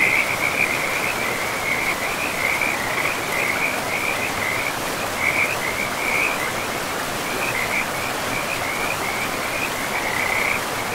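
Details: Frogs by a river in a forest, giving rapid high-pitched pulsed trills in repeated bursts with short gaps, steady across the whole stretch, over a constant background wash of flowing river water.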